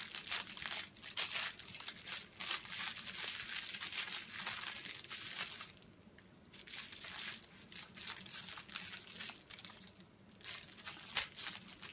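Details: Steady crinkling and crunching, like paper or plastic being handled indoors.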